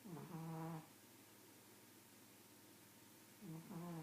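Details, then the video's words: Pug snoring: two hoarse, buzzy breaths with a low droning tone, one at the start and one about three seconds later, with quiet room hiss between them. "Snoring pug"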